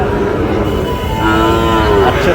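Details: At the Ambari livestock market in Dinajpur, Bangladesh, on 12 June, a Sahiwal bull calf gives a short moo that swells and then slides down near the end, heard over dense background talk from the market crowd.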